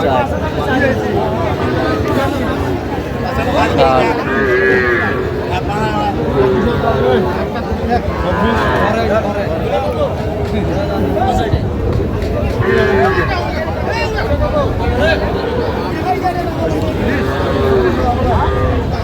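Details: Young cattle at a livestock market in Jamalpur, Bangladesh, on 19 August 2025, where farmers buy small bull and heifer calves; drawn-out moos repeat roughly every four seconds over crowd chatter and bargaining voices.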